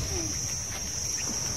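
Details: Small crickets chirping at a quiet seaside holiday spot in Thailand, beside the beach; a continuous thin, high-pitched steady trill runs unbroken over faint low background noise.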